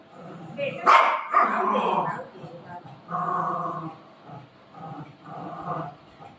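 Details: Buzo and Milo, two family dogs (a golden retriever and a shih tzu), fighting over their mummy; a couple of sharp broadband barks near the start, then a woman talking in Marathi over softer yips and grumbles.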